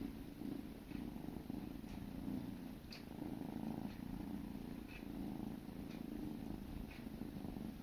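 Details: Sibling kittens grooming each other, a steady low rumbling purr running throughout with soft rhythmic pulsing, broken by faint clicks and licking sounds.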